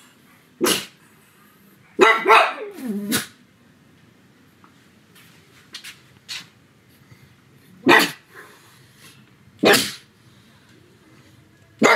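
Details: A pug at home on a sunny afternoon gives loud, abrupt barks, mostly single and spaced irregularly every one to two seconds, with one rougher, longer double bark and quiet pauses between calls.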